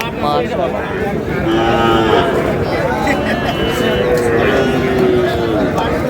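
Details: Sahiwal bull or heifer calf at a busy cattle market serving Barishal farmers, 19 August: two long, level moos, the second sustained and slowly falling, beneath loud bargaining voices and crowd noise.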